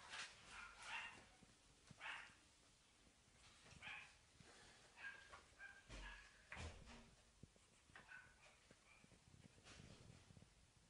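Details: Purebred teacup Pomeranian puppies, boo colour, in the UK. They give high-pitched yips and short whimpering barks that repeat every second or two, with fainter squeaks in between.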